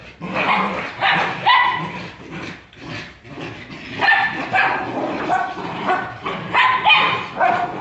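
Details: Brazilian Jagdterrier giving repeated hoarse barks in uneven bursts, roughly one to two per second with short pauses between groups, over a rough background of rustling and scuffling.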